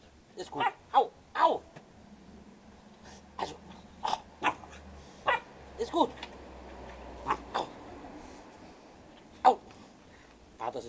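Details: Leonberger puppy Artos, about eleven weeks old, recorded July 2010 with a family in Löhlbach, playing and biting at people's feet; short sharp yips and barks come in irregular bursts, some paired, between stretches of quiet and soft human voices.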